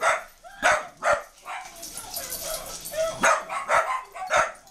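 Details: A puppy under attack by dogs: short, sharp barks spaced under a second apart, broken by a drawn-out, wavering whine in the middle.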